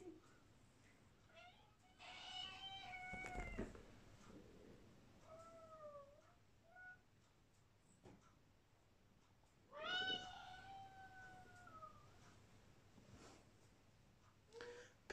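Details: Female British Shorthair cat responding indoors to her owner calling her: a strong harmonic meow, two short soft chirps, a second long bending meow, and faint small squeaks in a quiet room.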